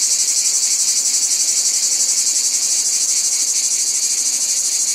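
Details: Cicadas in a dense, shrill chorus: a steady high hissing buzz with a fast, even pulsing throb running throughout, no gaps, and no other animals or voices.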